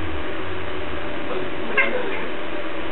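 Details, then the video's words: Pet cat 'talking' during play with a string: one clear, slightly rising meow late in the clip, preceded by low rumbling, with steady hiss throughout and Russian speech around it. "Кошка разговаривает"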